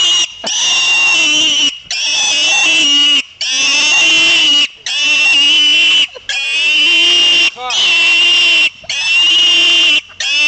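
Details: Shrill, sustained squealing from a pig called Buddy: seven or eight loud cries of over a second each, broken by brief silences, piercing and harmonic with slight pitch swoops at their starts.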